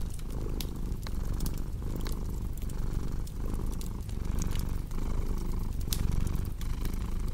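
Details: Deep rhythmic purring from a cat, the rumble pulsing roughly every second and a half with its breathing, layered with crisp fireplace crackles and occasional louder pops.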